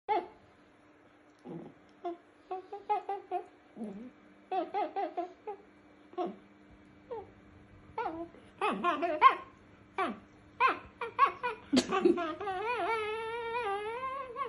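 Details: A male Chihuahua persistently guards a chew root from another Chihuahua, giving short, snarling growls and whiny yips in quick bursts.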